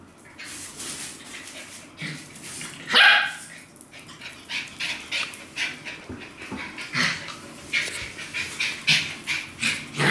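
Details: Domestic dogs, a Shetland Sheepdog and a Chihuahua, barking: sharp, high, broadband barks, one loud bark near the third second, then a quickening run of short yapping barks about every half second toward the end.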